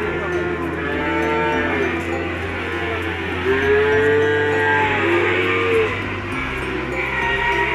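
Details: Indonesian PO feeder cattle kept for sale giving repeated deep, arching moos, one short call then a longer swelling low near the middle, with music playing steadily underneath.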